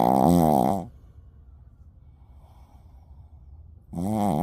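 Loud, buzzy snores come from a sleeping Shih Tzu, each one a harsh, vibrating rattle that wavers in pitch. About three seconds of near silence separate the two snoring breaths.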